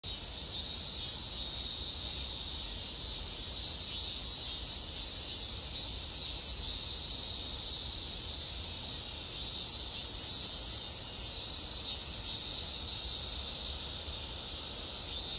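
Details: A dense chorus of cicadas at the end of summer fills the air with a steady, shimmering high-pitched drone.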